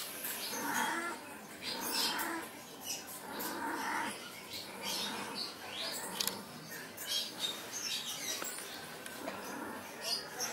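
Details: Cat giving a series of short, tonal meows in the first half, roughly one to one and a half seconds apart, then fainter scattered sounds, with people talking and clicking noises in the background.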